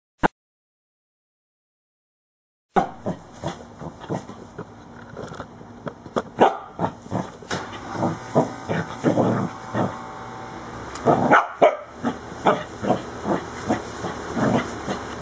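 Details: A corgi attacking the camera and tripod bursts into excited barking after brief quiet, fast punchy yaps some half a second apart building into a steady, insistent volley.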